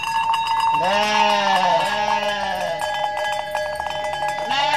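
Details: Mother goat in Indonesia giving a long, drawn-out quavering bleat that dips and holds, accompanied by a steady ringing tone and rapid clicking pulses, with another bleat starting at the very end.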